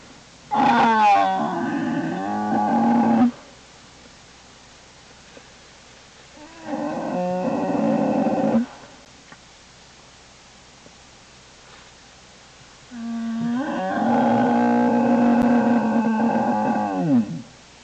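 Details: In Lily's den on January 27, 2012, an American black bear gives three loud, drawn-out, harmonic bawls with wobbling pitch, separated by several seconds of quiet den background.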